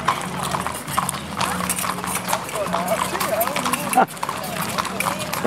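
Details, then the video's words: Criollo horses ridden in a street parade at dusk in Pampayasta, 03/12/2016; irregular clopping hooves beneath lively voices, a low mechanical drone and a sharp knock midway. "Desfile de Criollos a Caballos"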